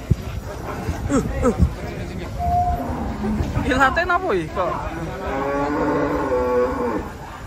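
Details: Agitated cattle, one of three cows unloaded from a truck in Indonesia and described as wild and uncontrollable, give loud rough moos in two bursts with harmonic bellows. Excited Indonesian voices and background commotion are mixed in.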